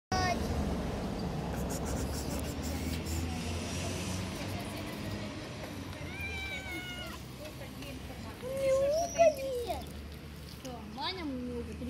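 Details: A white cat, friend of the household cat, meows several times: a drawn-out wavering mew, then a louder rising-falling meow and a short final one, after a stretch of human talking and background hum.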